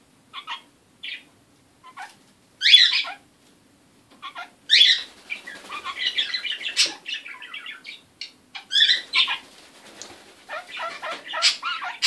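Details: Kakariki parrot making weird sounds indoors: scattered short chirps, then louder raspy squawks and a run of rapid chattering, scratchy notes, broken by brief silences and ending in more harsh, nasal calls.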